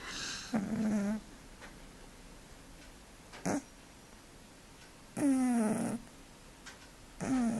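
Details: Male cat snoring in his sleep, each breath a raspy burst with a falling, whistly tone underneath, coming every few seconds over a quiet background.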